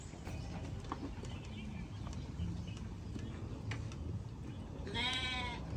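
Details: Sheep heard together as a group: one short, wavering, harmonic bleat rises clearly near the end, preceded by a steady low rumble and scattered faint clicks and background noise.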